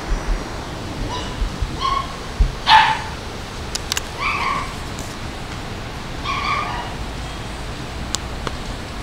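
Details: Female Labrador Retriever making several soft, brief yipping barks spread over several seconds, with a louder one near the middle, against a quiet background with occasional clicks.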